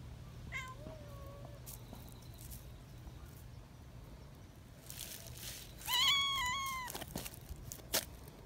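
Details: Young community cats, excited when held, give a few faint short mews early on, then one loud drawn-out screeching meow around 6 seconds; rustling and handling sounds throughout, a steady low hum underneath.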